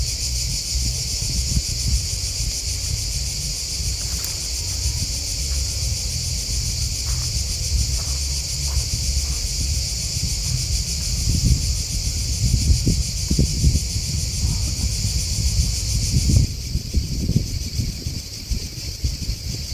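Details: Crickets chirping in a dense, unbroken high-pitched chorus with a fine pulsing shimmer, which thins and shifts slightly near the end. A low rumbling, rustling background and a few soft knocks sit beneath.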